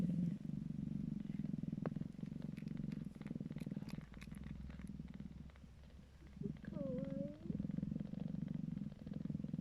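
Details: Calico kittens purr in a steady, low, fluttering rumble while nursing from their mother, sounding content.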